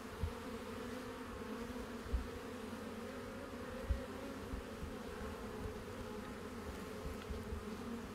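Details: Many honey bees drone in a steady, low buzz, with a few soft thumps or knocks at irregular moments beneath the constant hum.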